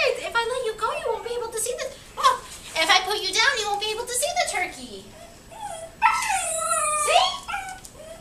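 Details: A 12-week-old Siberian husky pup, seeing a turkey outside, gives wavering, yodel-like whines that slide up and down in pitch.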